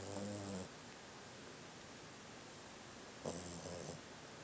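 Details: A sleeping female dog, young-looking with tiny teeth, snores: two short, low, rumbling snore breaths about three seconds apart, with quiet room hiss between them.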